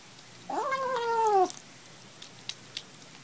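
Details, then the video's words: A kitten gives a single drawn-out meow lasting about a second, steady then gently falling in pitch, with rich harmonics, followed by quiet room background and a few faint clicks. "Cute Kittens Compilation"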